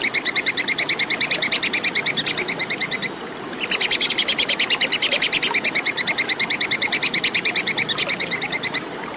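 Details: Plantain squirrel, known locally as tupai kekes, recorded clearly as a tutor sound for competition songbirds: rapid sharp chattering clicks, about eight per second, in a three-second burst, a short pause, then a longer five-second run.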